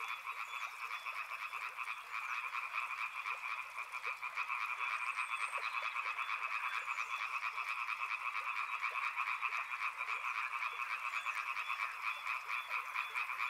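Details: Many frogs croak together near a river, a rolling unbroken chorus of pulsed calls that swells louder after about four seconds, with short high chirps scattered over it.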